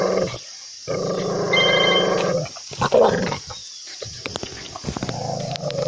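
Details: Loud, angry dog: a long rasping growl, then short harsh barks and clicks, with a steady low rumble running underneath.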